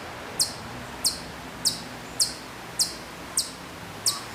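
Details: Hokkaido chipmunk at a distance on Sapporo's Maruyama, Hokkaido, in September 2014, giving seven crisp, shrill chip notes at a brisk, even rhythm over soft background noise.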